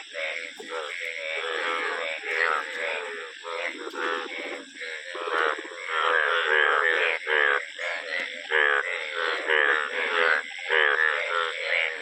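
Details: Frogs, known in Hindi as medhak, calling together in a dense chorus of overlapping, nasal, harmonic croaks that pulse in irregular bursts nearly twice a second, with no other clear sounds.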